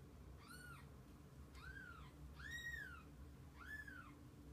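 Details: A mother cat with her kittens: four clear, well-spaced meows, each rising then falling in an arch, the third longest and loudest, over faint low room noise.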